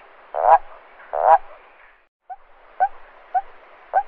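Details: A toad at night gives two rough, pulsed croaks, then a run of short clipped notes, a call made to attract females or defend territory.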